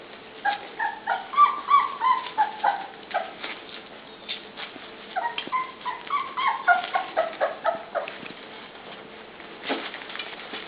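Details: Puppies, including Truffle and Callie, at dinnertime, growing bigger by the day: a rapid run of high, tonal whimpers and short yips, several per second, in clustered bursts with brief pauses between.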